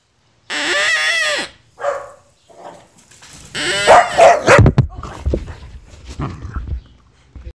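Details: A corgi gives a long, wavering, whining howl, then a run of shorter yips and grumbles, reacting to the noise his now-broken toy used to make.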